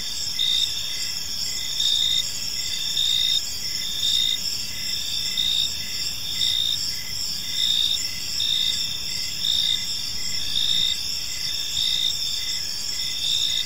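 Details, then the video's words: Evening park crickets: layered high chirping trills, with one caller pulsing in short bursts about once a second over a continuous insect drone and soft low rumble. "Park Serenade: Cricket Sounds in a Peaceful Park"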